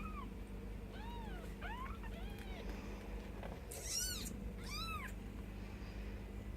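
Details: Mischief Maker's ten-day-old Bengal kittens calling with high, curved mews, some overlapping, and two brighter, sharper cries near the end against a steady low hum.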